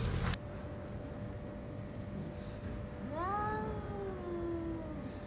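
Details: Orange tabby cat Chatora No. 2, one of a pair of orange tabby brothers, seen again after half a month of hiding; after a quiet start with a sharp knock, a single drawn-out meow rises, then slides slowly downward over two seconds.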